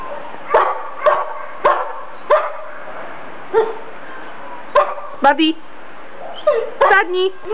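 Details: Bandog barking in a steady series of single barks about half a second to a second apart, ending with quicker doubled, higher yelping barks, with a person's voice urging it on.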